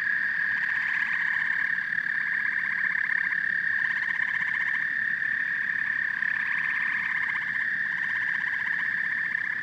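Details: Chorus of frogs and toads, a constant high whine with waves of fast rattling trills that swell and fade every few seconds over a soft low rumble.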